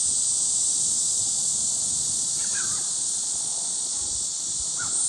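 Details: Cicadas at Gwangalli Beach fill the air with a dense, steady, high-pitched buzzing drone that never breaks. A couple of brief, faint bird-like calls slip in around the middle and near the end.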